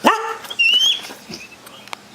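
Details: Pet mastiff indoors, called over around feeding time, giving one abrupt high bark followed by a thin, high, slightly rising whine amid household noise.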